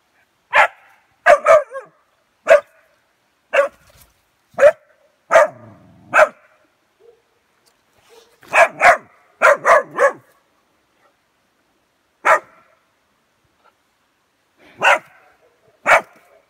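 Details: West Siberian Laika puppy, three months old, barking at its first meeting with a wild boar: loud sharp barks singly and in quick bursts of two to four, with pauses of a second or more between.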